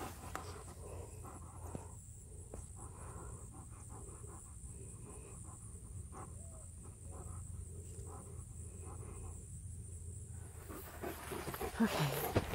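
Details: Hiking in Florida at sunset and spotting deer, an Alaskan Malamute pants rapidly and rhythmically, nearly three breaths a second, against a low background hum, with a brief louder rustle near the end.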